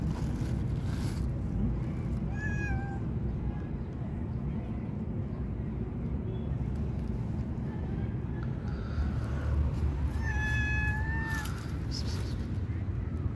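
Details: Shy stray cat waiting for a greeting outdoors: a short meow early on, then a longer, clear, level meow near the end, over continuous low road noise.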